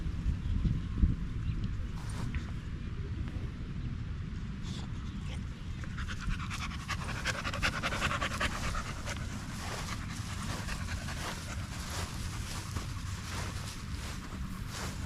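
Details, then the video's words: On a long park evening with a group of male dogs, a Staffordshire Bull Terrier pants: quiet at first, then fast rhythmic huffs from about six seconds on, roughly two or three breaths per second, with low outdoor rumble. "Long evening at the park male wolf pack chat"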